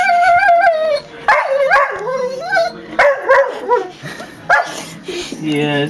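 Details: A pair of pet dogs whining back and forth: long sliding whine, then choppy, yodel-like whimpers and short yelps in uneven bursts, ending with a low moaning cry.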